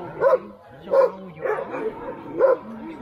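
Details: Alaskan Husky sled dog at Snowhook Adventures in Willow, Alaska, giving four loud, separate barks spaced roughly half a second to a second apart, with softer whines between them.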